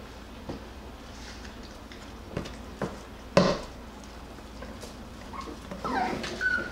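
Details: Jackabee puppies, a Beagle and Jack Russell cross and the litter of Miss Sansa, playing and wrestling indoors; mostly quiet room with scattered thumps, one sharp yelp midway, then a thin, wavering whine near the end.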